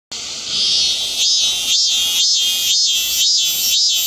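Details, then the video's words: Hyalessa maculaticollis (참매미) singing: after a moment of silence, a loud high buzzing drone breaks into regular throbbing pulses about twice a second, shrill and metallic throughout. "Hyalessa maculaticollis/참매미"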